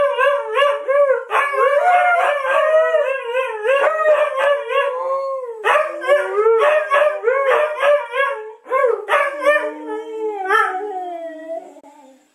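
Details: Two Siberian huskies in Shikoku, Japan, howl together in wavering, sliding, yodel-like voices, set off by a mobile phone ringtone; one reliably reacts to the ringtone, with a cat present.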